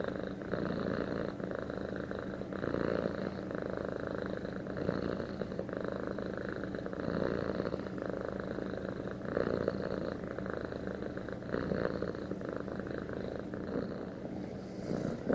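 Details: Pet cat bonded with its owner purring in a steady, low rumbling drone that holds unbroken for the whole stretch, with gentle swells in loudness and no other sounds.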